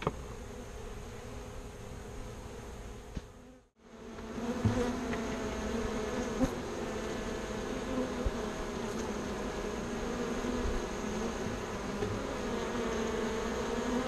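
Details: Rescued bees near their new box in a bee yard, still drawn back to the post where their birdhouse stood, buzz in a dense steady drone. A short gap comes early, followed by scattered clicks.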